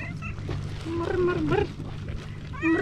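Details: Female tabby cat on a pier, coming up to a person and meowing to ask for food and attention; a drawn-out meow that dips then rises, with another starting at the end, over low rumble, music and voices.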